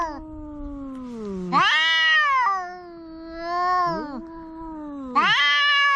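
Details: Two quarrelling house cats squaring off: a low, sagging moan gives way to loud, rising, nasal wails, the two voices overlapping and sliding past each other in pitch.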